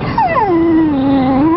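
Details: Pet dogs, a dorkie and a Yorkie puppy, riding in a car through Lancaster County; a loud drawn-out whine that slides downward, then holds steady and rises slightly at the end, with no other sounds.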